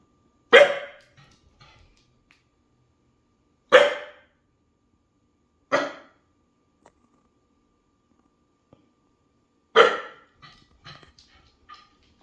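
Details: Female Springer Spaniel/Portuguese Water Dog cross barking at a sound she thinks she hears, indoors; four sharp single barks spaced two to four seconds apart, the last followed by soft clicks and taps.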